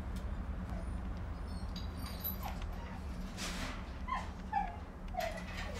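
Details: Solid black and dark sable German Shepherd puppies from a litter born 12 March 2019 give short, high whimpers and yips over a steady low hum.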